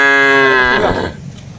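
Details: Cattle in a wide plantation, calling as they forage: one loud, flat moo that fades out into quiet background.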